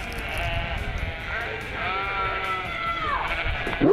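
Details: Flock of sheep in New Zealand bleating back when their farmer calls to them, like a protest chant; overlapping wavering, harmonic bleats sustained through the clip, with a louder sound at the very end.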